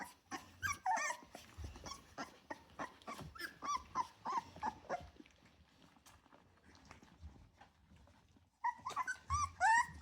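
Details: Litter of ten Rottweiler puppies just over three weeks old; quick bursts of high squeaky whines and yelps tumbling over each other, a brief lull near the end before a louder, wavering chorus of whimpers resumes.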